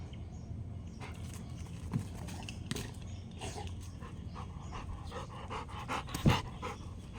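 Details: Rottweiler playing fetch, throwing and catching a ball: steady rapid low breathy panting runs throughout, with scattered clicks and mouth noises and one sharp thump near the end.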